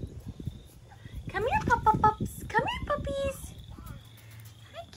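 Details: British Labrador Retriever puppies, four and five weeks old, let outside to run in the fresh air on a fine night; a burst of short, high, bending yelps and whines in quick succession, with a steady high insect-like tone behind.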